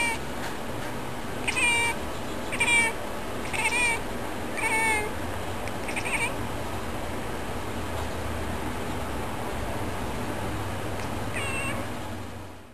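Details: Domestic cat 'singing a birdy song': a run of five short, bright chirping meows roughly one per second, each slightly rising then falling, followed by a pause and one fainter chirp near the end, over steady low room hum.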